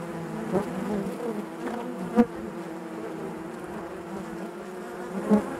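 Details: Honey bees buzz naturally in their hive as a low, continuous hum. Two abrupt, loud buzzes from bees passing close cut through it, one early and one at the end.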